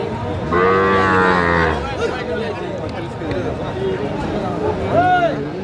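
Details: Young Sahiwal bull calf bought at a Cumilla cattle market, Bangladesh, 15 January 2025, gives a loud bellowing moo lasting about a second, then a short upward call near the end, over background music and crowd noise.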